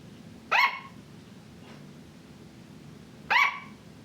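A sugar glider gives two short, high-pitched yapping barks about three seconds apart.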